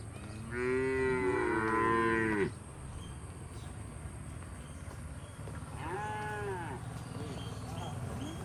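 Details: Forest-herded cattle heading to their shed, leaping with joy, give a long sustained moo lasting about two seconds, followed by a shorter, fainter moo later, with steady low outdoor rumble.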